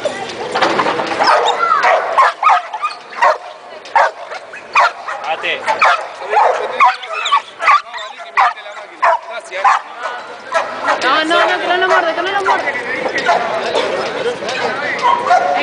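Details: American Pit Bull Terrier, born May 2006, at a grip competition filmed in June 2010; sharp barks repeat roughly twice a second through the middle stretch, with people talking over and around them.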